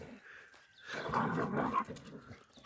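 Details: Village dogs in a fight as a mother dog defends her puppy from attacking dogs: a rough, noisy snarling growl swelling for about a second, recorded outdoors.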